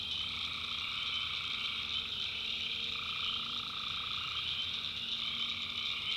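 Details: Nighttime swamp in the backwoods of North Carolina where tree frogs call in an unbroken shrill chorus, layered high trills steady throughout and a lower band of calls swelling in the middle.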